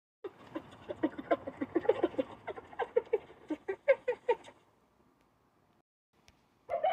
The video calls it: striped hyena sound effects